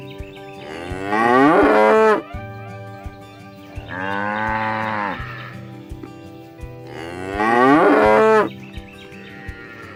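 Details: Cows being herded across fields toward the barn, calling their friends to come home; three long, loud harmonic moos about three seconds apart, each swelling and then falling away, with soft thumps between them.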